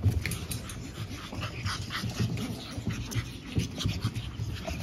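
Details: Lively pug puppies from a litter of five siblings born April 17 give steady low snorting and snuffling breaths, a rapid rough rumble with brief louder snorts and soft scratching in the background.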